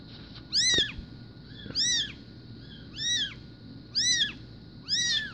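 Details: Five loud, clear mews from newborn SBT Bengal kittens born 04/02/2016. Each call rises and falls in a bright arch, spaced about a second apart, with a faint hum behind.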